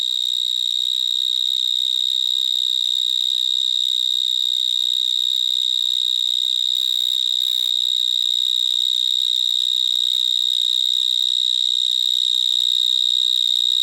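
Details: Vineyard mole cricket (Gryllotalpa vineae) stridulating in a vineyard in Gironde, France, recorded close to a larger individual; an unbroken, piercing, alarm-like trill on one steady high pitch with faint higher overtones, loud enough to drown out a voice.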